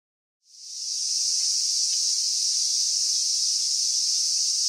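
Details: Cicadas singing at summer's end, recorded 19 August 2020: after a brief silence a high, hissing buzz fades in quickly and then holds at a constant shrill level.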